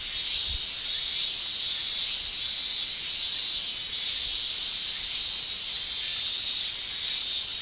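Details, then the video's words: A constant high shrill from cicadas in a Japanese summer, pulsing faintly in level, with a brief low thump near the start. "Japan Summer Cicada Shrilling Relaxing Sound"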